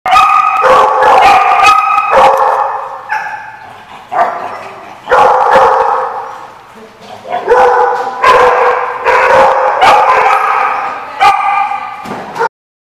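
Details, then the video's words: Dogs barking loudly at a lot, overlapping bursts of sharp barks about twice a second with brief pauses between volleys, voices faintly in the background. "The Barking Lot"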